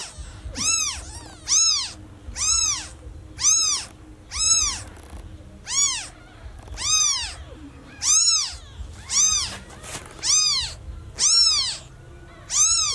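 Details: Baby kitten, newly born and separated from its mother, meows very loudly and persistently: evenly spaced, high-pitched arched cries, about one per second, over a low background rumble.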